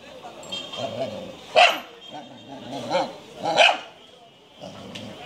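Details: Shiba Inu, a Japanese breed, lets out three short, sharp barks a second or so apart, while human voices chatter underneath and around them.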